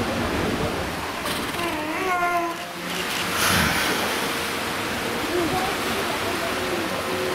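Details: A captive walrus at Pairi Daiza gives a spontaneous reedy, wavering whistle of a second or two, rich in overtones, over a steady wash of water and murmuring people.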